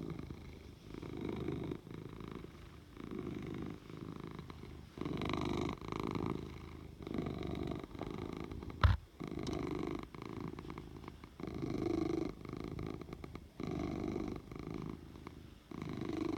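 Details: Oliver, a pet cat, purring steadily indoors in a small room; the low rumbling purr swells and fades in repeated breath cycles of roughly one to two seconds, with a brief sharp knock near the middle.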